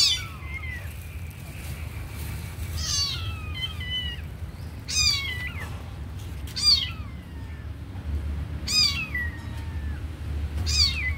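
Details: Young kitten, beside a sleeping puppy, repeats shrill falling mews roughly every two seconds, each a bright sliding cry, with a constant low droning hum underneath.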